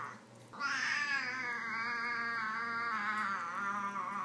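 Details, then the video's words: Domestic cat meowing, from a compilation of meows used to attract cats: one long drawn-out wavering meow lasting nearly four seconds, rich in stacked harmonics, after a brief quiet start indoors. "Meows to ATTRACT CATS"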